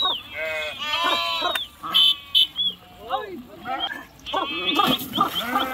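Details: Sheep swimming and jumping into a river during a river crossing; several overlapping wavering bleats, some high and thin, others lower, with short splashy bursts between calls.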